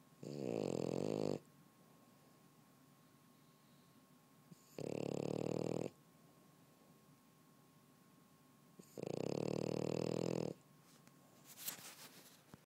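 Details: French Bulldog snoring while asleep on a couch: three loud, gravelly snores of one to one and a half seconds, spaced about four seconds apart, with a faint tap near the end.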